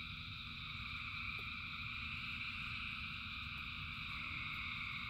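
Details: Thousands of frogs calling together in rain: a dense, unbroken chorus of high trilling voices, layered in several steady bands, over a constant low rumble of rainfall.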